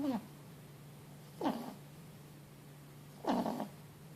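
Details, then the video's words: Sleeping Boston Terrier and French Bulldog cross pup, four months old, worn out after a long day, giving loud, rasping snores that dip in pitch, roughly every two seconds, with a constant low hum behind. "Un chiot ronfle bruyamment"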